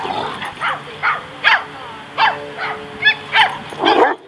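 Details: Two Great Danes, Zora and Austen, at play in White Oak dog park, Encino, California, in March 2014. Evenly spaced single barks sound about twice a second, ending in a louder, rougher bark.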